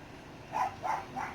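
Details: Three quick squeaky barks from a six-week-old Dachshund puppy, evenly spaced about a third of a second apart, indoors in the puppies' enlarged setup.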